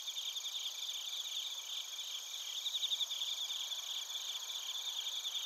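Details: Insect chorus of bell crickets and field crickets from Narita, Chiba Prefecture, Japan, on a TASCAM Portacapture X8; shrill continuous ringing with softer rhythmic pulsed chirps woven through, many callers overlapping at a steady level.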